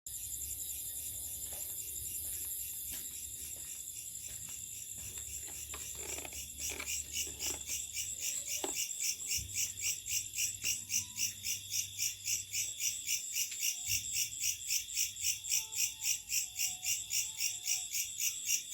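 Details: Locusts at night: a high, shimmering buzz that starts softer and less regular, then settles into steady pulses about four times a second, with faint low rumble beneath.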